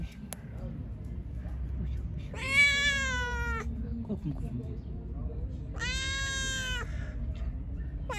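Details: Hungry pregnant stray cat, described as angry, meowing while being fed: two long, drawn-out, harmonic-rich meows a few seconds apart over low background noise and faint human speech.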